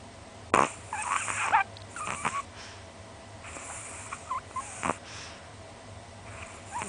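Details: Small pet Chihuahua about 20 cm tall, asleep with tongue out and twitching, snoring like an old man: irregular raspy, breathy bursts, roughly six over seven seconds, with quiet steady room hum between them.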